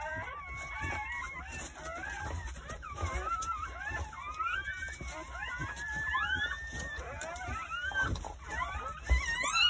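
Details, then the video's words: Newborn Jindo dog puppies, part of a litter of nine born on New Year's Day at a rural house during a birth lasting from 8:30 am to 1 pm; many overlapping high, squeaky, wavering cries rise and fall continuously, with faint indoor background noise. "새해첫날 시골집 진돗개 9마리 출산했어요 새해 첫 우렁찬 울음소리와 함께 새생명이 탄생"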